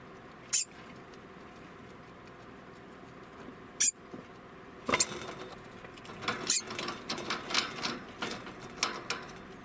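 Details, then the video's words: An 11-month-old male degu gives sharp, clicking alarm chirps, first singly and then in a rapid, uneven burst. "デグーの鳴き声８（警戒鳴き）"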